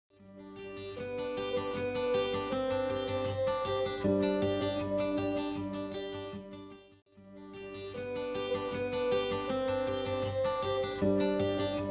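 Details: Strummed acoustic guitar music plays throughout, with a brief pause near the middle. No animal sound can be picked out.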